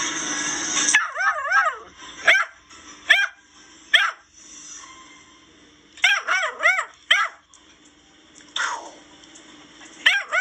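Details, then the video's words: An 11-week-old female basset hound, learning her bark while playing with her owner, gives high, yelping barks in quick bursts of two or three. "Lemmy the sassy basset hound learning to bark"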